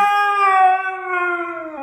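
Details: Pet Siberian Husky Blu talking and yelling while scolded indoors over his hidden Furminator; a long, clear howl with rich harmonics, steady at first and gently falling in pitch before a short drop at the close.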